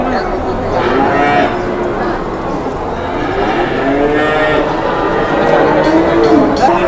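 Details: Several seconds of cattle lowing at an Indonesian cattle market: long, wavering moos with a rich harmonic tone that overlap one another, set against steady crowd noise and voices haggling in the background.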